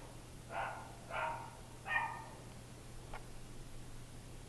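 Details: Lap dogs barking indoors: three short, sharp barks about two-thirds of a second apart, followed by a faint click, over a steady low electrical hum.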